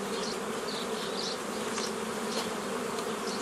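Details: Honey bees in a nucleus colony made from an earlier forager swarm, May 2018: constant low buzzing hum, overlaid by soft, short bird chirps at higher pitch.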